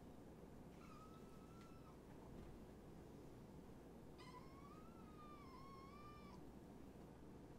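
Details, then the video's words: Kittens from two litters, five in all, surrendered in Tacoma, visited late at night by a man: two thin, high, slightly wavering meows, a short one then a longer quavering one, over steady low hum. "Hurricane Kittens"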